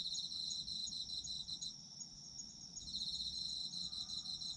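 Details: Chorus of autumn insects: a quick high pulsed chirping, a pause of roughly a second with only a steady ringing tone, then the pulsing resumes; soft low rumble underneath.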